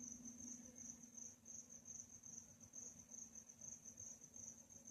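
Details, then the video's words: Cricket chirping in a calm nighttime setting: a steady high-pitched band of rapid pulsed chirps runs throughout, with a faint low hum underneath. "Night Chirping Sounds"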